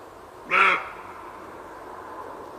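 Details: Roe deer giving a single short, harsh, hoarse call lasting under half a second, with a faint steady background hiss and no other animals.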